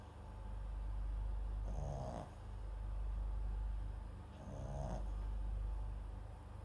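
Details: A sleeping Papillon × Japanese Chin mix dog named MAX, microphone placed beside it, snores softly: two slow rasping breaths about two and a half seconds apart over a steady low hum.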